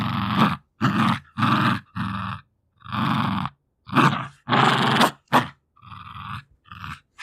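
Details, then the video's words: Two-year-old female Jack Russell Terrier tussling over her favourite toys, giving loud, harsh, throaty growls in bursts of about half a second, separated by brief gaps, with a couple of fainter rumbles near the end. "Dog Growling like a Gremlins"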